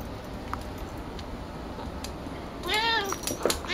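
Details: Picchi, a female pet cat indoors, excited by a ball made from her own brushed-out hair, gives one short rising-and-falling harmonic meow after a quiet stretch with faint rustling.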